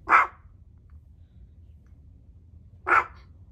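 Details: Cedric, a tiny Chihuahua, filmed at home during a day-in-the-life routine, gives two short, sharp, mid-pitched barks about three seconds apart against a quiet room background.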